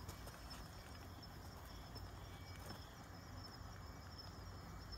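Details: Kanetataki cricket at night during a collecting outing on 26 October 2019; a faint, high, thin ticking line repeats steadily over a low rumbling background, with a few soft rustles.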